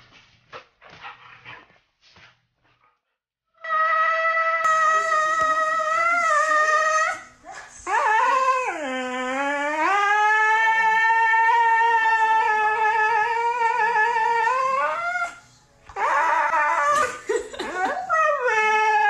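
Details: Husky dog from a funny pet compilation giving a long, loud, sustained howl: steady held tones that dip low and climb again, broken by brief pauses, after a few soft short noises at the start.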